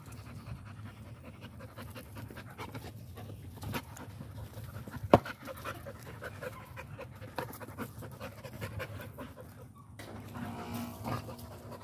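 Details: American Pit Bull Terrier panting quietly: soft, breathy, rapid huffs run steadily through the recording, with no barks. A single sharp click stands out near the middle, and a few fainter knocks follow.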